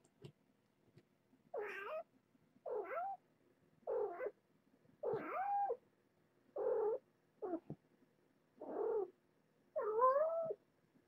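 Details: Mother cat Nala Se, a former stray about one year old, with her litter at Purrfect Pals: eight clear, rising-and-falling mews repeated roughly every second and a half against a quiet background.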